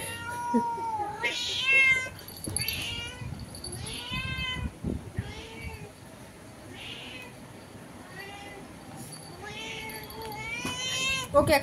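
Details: Through a window a domestic cat keeps up a quick, uneven series of short meows toward a cat outside, mixed with thumps and a person speaking Bengali, ending in a sharp louder cry.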